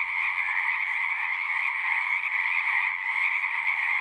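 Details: Dense frog chorus, natural night-like din of countless overlapping trilling calls, steady and unbroken, two strong pitch bands holding throughout.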